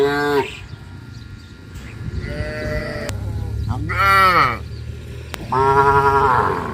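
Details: Village cattle moving to grassy pasture in the morning give several short, fairly high, harmonic lowing calls spaced about two seconds apart, with a low rumbling background and a couple of sharp clicks.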